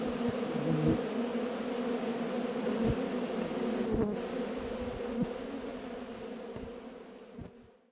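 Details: A swarm of honey bees being moved from an undesired location keeps up a dense, even buzzing drone with occasional soft thumps, fading out at the very end.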